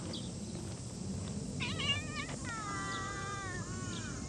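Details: Cat outdoors giving a short rising meow, then a longer drawn-out wavering meow with clear harmonics, over steady low background noise.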